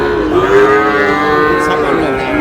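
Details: Sahiwal bull calves at a cattle market on 14 August, bought by a farmer from Cox's Bazar: a single sustained, steady moo runs nearly two seconds over low murmuring voices.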